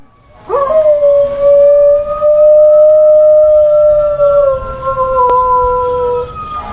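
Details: Sasha, a female pet dog, howls along to passing fire truck sirens: one long, steady, sustained tone held for about five seconds, wavering slightly and dropping in pitch at the end, with a faint siren line above.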